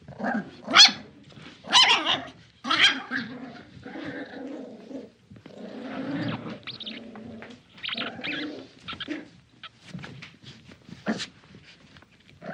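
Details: Small dog in a game of tug of war: three sharp high barks at the start, then lower grumbling growls in bursts, a final yip near the end, with quiet gaps between.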